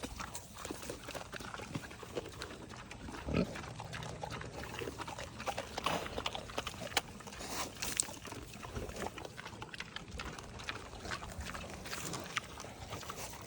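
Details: Vietnamese potbellied pigs at an animal sanctuary grunt and snuffle in short, rough bursts while being fed, with a person talking nearby and goats upset that the pigs are fed first.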